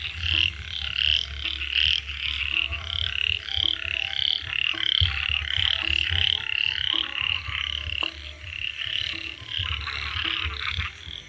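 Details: Frogs calling in a dense chorus after a frog was seen chasing off a snake: rapid, bright croaks repeated about 86 times a minute at an uneven rhythm, with a low hum underneath.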